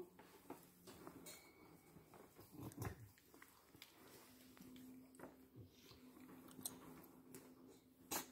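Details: Morning cuddles for a Boxer puppy in a small indoor room: soft, steady whining tones, one held for a couple of seconds midway, mixed with faint snuffles, rustling and small clicks.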